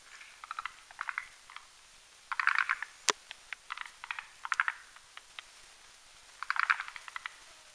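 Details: Forest green tree frogs, males and females, at night on a Hamilton's spindletree branch over a marshy mountain pond, croaking while building a foam nest. Short clucking pulse bursts recur every second or so, with one sharp click midway.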